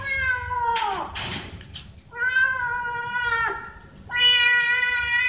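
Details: Domestic cat meowing while the two cats climb fast for food: three drawn-out, harmonic-rich meows, the first sliding downward at its end, with brief rustling between calls.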